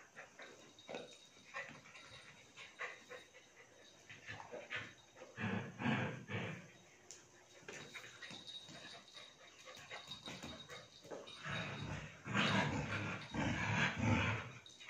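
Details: German Shepherd puppy playing with its Border Collie sister: rough, noisy growling and whining bursts come in uneven clusters. They are loudest around the middle and again near the end, with some panting between.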